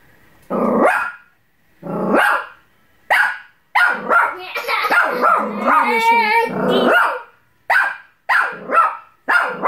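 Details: A small female Bichon Frise barks in sharp, high bursts at her own reflection in a mirror, mistaking it for a threatening dog, with some growly, whining notes between barks.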